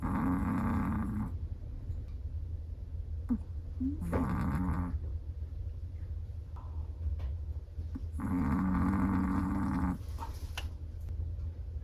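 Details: A Chihuahua asleep and snoring, with two long rattling snores of about one to two seconds each and a shorter one between them, evenly spaced against a constant low hum.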